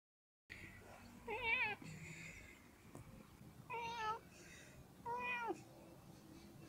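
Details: A friendly cat meows three times across several seconds. Each call is a clear, tonal mew that bends downward at the close, with quieter rustling and a faint hum in between.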